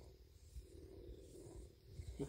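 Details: After eating deer meat and enjoying a belly rub, Big the male bobcat keeps up a steady, low, finely pulsed purr.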